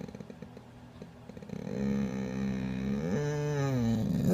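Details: Krieger, a pet dog that seldom barks but makes many other exclamations, gives a drawn-out, wavering whine-moan with rich harmonics that rises and bends in pitch after a quieter start of soft clicks.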